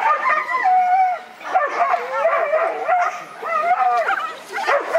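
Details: Whippet in the classic male class at the Lednice Cup, 13th heat of a dog race: high, wavering whines and yelps rise and fall in excited bursts, sliding into howl-like cries between short pauses.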